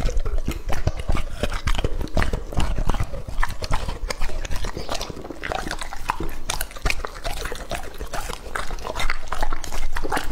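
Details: Two-and-a-half-year-old English-type Labrador Retriever male eating raw meat, recorded close up: dense wet chewing, crunching and smacking in rapid irregular bursts, with strong low thumps and sharp clicks throughout.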